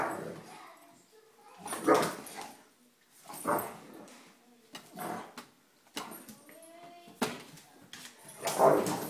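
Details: Indoors, three German Shepherds spar playfully, teasing one another; rough growls and snarling yaps rise and fall in rapid overlapping bursts, with short whines between.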